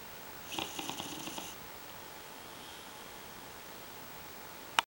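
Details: Starbuck the bulldog snoring: one raspy, rattling snore of about a second, followed by several seconds of quiet room tone and a sharp click at the very end.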